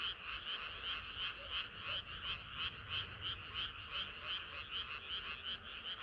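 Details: Frogs in full chorus on a summer night, clear rhythmic croaks rising and falling in regular swells about three times per second, with a few deeper notes beneath.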